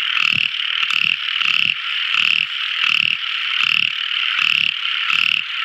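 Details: Small frog calling at night: a series of gravelly croaking bursts roughly every 0.6 seconds, with a bright continuous ringing chorus behind.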